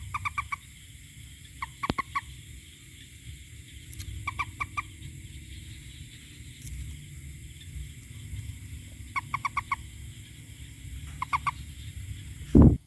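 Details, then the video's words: A toad repeats quick runs of three or four clipped, tonal notes every couple of seconds against a low rumble, with a sharp knock near the end. "Toad the best Sound"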